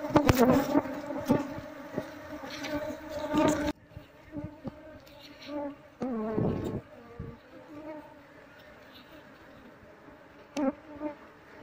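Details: Wall-nesting honey bee colony being opened up and its comb scraped while hunting for the queen; loud buzzing drone with clattering scrapes for about four seconds, then a quieter hum with occasional knocks.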